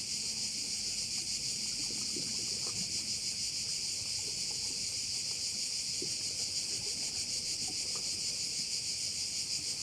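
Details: Korčula bay, Croatia, filled with cricket song: an unbroken high, hissing buzz that swells and fades slightly about three times per second, with occasional soft low knocks and breeze in the background.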